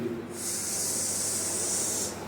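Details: Indian cobra that has entered a house, cornered and unable to get a grip to flee, giving a loud, steady breathy hiss lasting nearly two seconds, with faint voices nearby.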